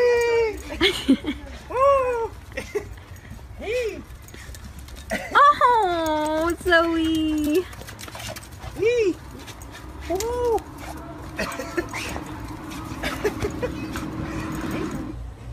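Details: Excited dog welcoming its owner home after months out of the country, giving repeated short arched whimpers and a long sliding whine amid people's happy voices and a low hum.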